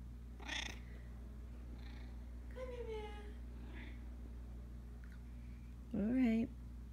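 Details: Russian Blue cat talking at home: a drawn-out descending meow midway, then a loud, rising-falling meow near the end, with brief Dutch speech at the start and a constant low background hum.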